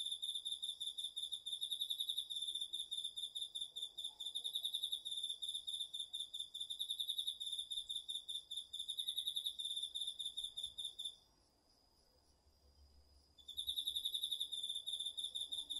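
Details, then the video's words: Night-time autumn insect chorus including crickets in a garden field, recorded with a DR-40X; long runs of shrill rapid pulsed chirps carry on for eleven seconds, go quiet for about two, then resume. "秋の虫の声 ASMRでおやすみなさい 〜虫の音を枕元で聞いてね〜 こおろぎ他"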